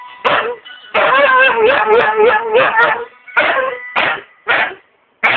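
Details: A Siberian husky "sings," giving a wavering, yodel-like howl followed by several short vocal bursts.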